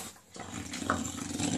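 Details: Enzo, a pet dog, trying his new food in a small room: after a brief quiet start, a low, steady grumbling growl holds to the end, broken by one short higher squeak midway.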